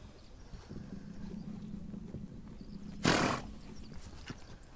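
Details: A horse on the steppe in Mongolia gives one loud, rough blowing snort partway through, set against a low droning hum and faint ticking movement sounds.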